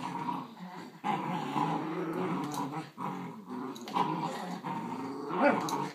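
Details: Giant Schnauzer puppy and grown miniature Schnauzer together; steady rumbling growls run almost without pause, rough and throaty with a few louder surges and a brief higher whine near the end.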